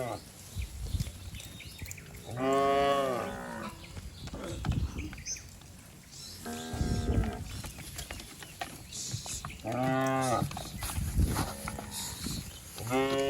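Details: A herd of cattle leaping and running down a green hill in a village setting, natural sound. Four or five long, low lowing moos come at spaced intervals over a rustling, shuffling background.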